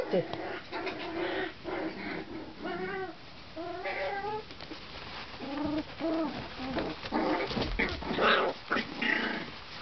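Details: A litter of month-old Tibetan Terrier puppies from Poland whining in squeaky rising-and-falling bursts, clear tonal cries separated by brief pauses, with some shuffling and faint voices in the background.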